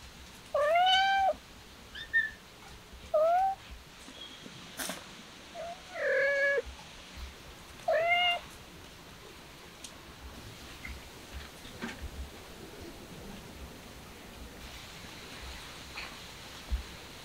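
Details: Kitten meowing indoors: five clear, drawn-out mews with rising-then-falling pitch, spaced over the first eight seconds, followed by a quiet room with faint rustles and soft taps.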